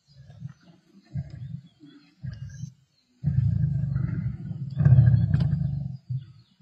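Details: Growling from Black Dam male lions feeding with the Avoca Pride on 31 March 2024, short low rumbles building into two long, loud, continuous snarling growls near the end.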